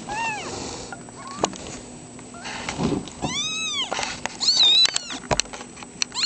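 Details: Foster kittens, among them Runty and Toad, give a scatter of high, arched meows that rise and fall, some overlapping one another, with scattered clicks and knocks between calls.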